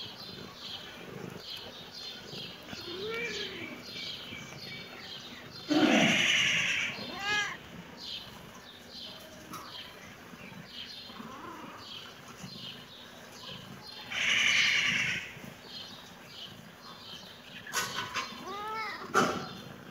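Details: Kitten meowing in reaction to seeing the camera: several short, arching meows spread across the recording, with two louder, rough, noisy bursts in between and a faint background hum.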